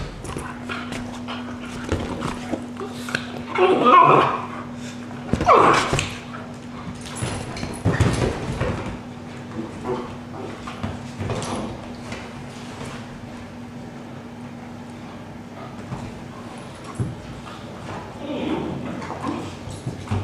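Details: Vizsla named Alma giving two short, loud voiced bursts about four and five and a half seconds in, with fainter scattered sounds afterward over a steady low electrical hum and some background noise.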